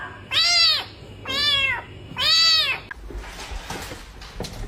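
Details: Domestic cat giving three drawn-out, harmonic-rich meows, each about half a second long and rising then falling, spaced roughly a second apart, followed by soft indoor rustling and clicks.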